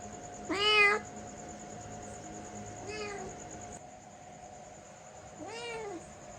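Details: Three separate meows from a pet cat, the first loudest and the later two softer, with long quiet pauses between them and a low steady hum underneath.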